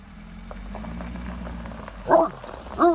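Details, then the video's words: Dog barking at a truck: two short, sharp barks close together near the end, rising out of a steady low engine hum that runs throughout. "Always Barks At The Truck"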